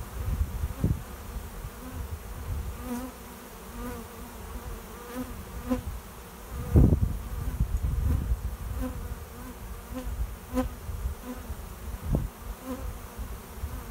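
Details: Honey bee swarm arriving at a swarm trap behind a garage, a cloud of bees flying overhead while settling into a new home; dense, low, steady droning hum with brief louder swells as individual bees pass close.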